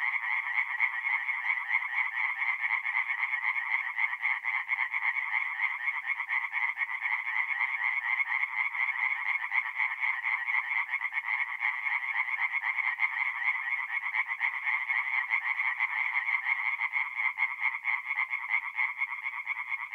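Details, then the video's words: Tree frogs singing at night at a forest pond in North-East Italy in mid April: a dense, continuous chorus of rapid rasping croaks, overlapping pulses blending into a steady bright trill with no other sounds. "relaxing forest pond by night with singing tree frogs"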